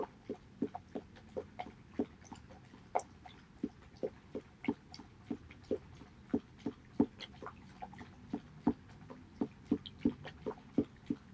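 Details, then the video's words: Haedeun, a male Border Collie, eating pollack soup indoors on 2018-08-19: steady wet chewing and biting clicks repeat about every half second throughout, in a quiet small room. "Bordercollie eating pollack soup 보더콜리 황태죽 먹방"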